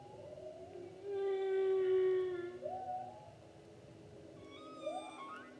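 Humpback whale song: a long, steady tonal moan followed by upward-sweeping whoops.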